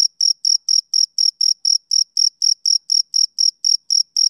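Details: Male cricket chirping on a summer evening: a steady, rhythmic run of short, high, pure-toned chirps, about four each second, seventeen in all, against an otherwise silent background.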